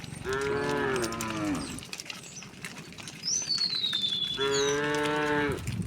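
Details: Herd of tame cows and oxen heading to green grazing fields in the morning, rural setting: two drawn-out moos a few seconds apart, rich and harmonic, and a high falling bird whistle in the gap between them.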